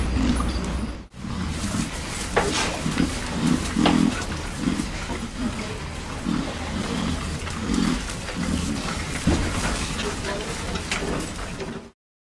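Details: Pigs in a pen monitored for research on pig sounds, stress and health give low, gruff grunts in short bursts every second or so, some deeper and longer, over a constant ventilation-like hiss.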